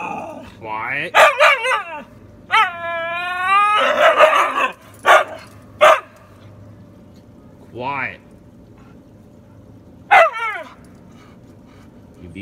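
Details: Siberian Husky female talking back when her owner demands quiet: drawn-out wavering whines and howly talking with rising and falling pitch, broken by sharp bursts, with a woman's voice speaking in between.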